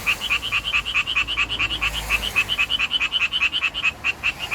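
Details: Japanese tree frog calling for courtship in a city, its vocal sac swelling like a balloon and shrinking with each call; rapid, steady train of harsh, nasal croaking pulses, about two to three per second, with faint low background hum.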